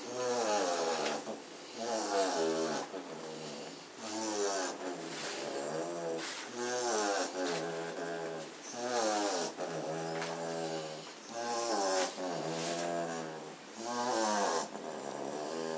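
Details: German Shorthaired Pointer puppies, asleep after half an hour of frenzied play, give soft, wavering whimpers and snuffly snores a few seconds apart.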